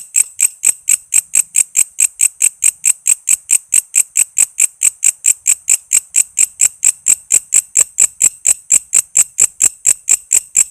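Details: Walang kece cicada, a sound used as a master for training songbirds such as magpie robins, lovebirds, cucak ijo and kacer: loud, sharp rasping pulses repeated steadily about four times a second, high-pitched and dry, with no other sounds.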